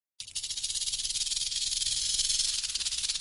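A snake gives a long, steady, breathy hiss that holds for several seconds.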